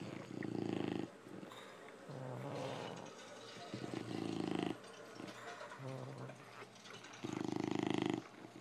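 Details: An English Bulldog mother snores in loud, rasping, rumbling bursts, each breath about three to four seconds apart, while feeding her puppies.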